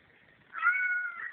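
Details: Pet cat talking to its owner in a home hallway, cell phone recording: a single sustained meow lasting roughly 0.7 seconds, steady then tapering, with quiet background hiss and no speech over it.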